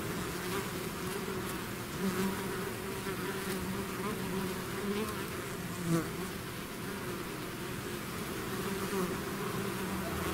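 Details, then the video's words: Bees swarming out of their hive make a dense, steady buzz with a low hum and an overtone above it. Single insects swell briefly louder as they pass near, around two and six seconds. "bees therapy swarm natural buzzing sound"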